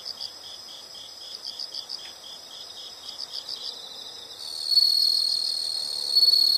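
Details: Insect calls in a calming nature recording: groups of fast high chirps over a steady trill, followed by a louder, sustained high-pitched buzz in the second half.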